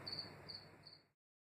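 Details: A House Cricket (Acheta domesticus) in East Suffolk, UK, in 2018, the first Suffolk record since 2010, gives high, clear chirps, about two or three a second, over a soft hiss.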